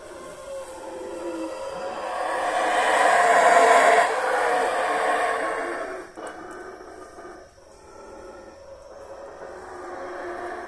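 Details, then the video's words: Howler monkeys, or saraguatos, in Mexico give loud roars: a deep, rough, harmonic chorus that swells to a peak around four seconds, then fades to quieter, lower rumbling with brief gaps. "escucha los fuertes rugidos aullidos o gritos de monos aulladores o saraguatos rugiendo."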